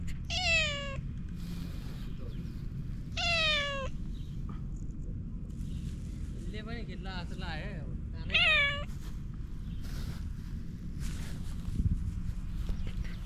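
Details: Domestic cat meowing: four drawn-out, bright, harmonic-rich meows, the first two long and level-to-falling, later ones wavering and more nasal, separated by pauses, over a steady low background hum.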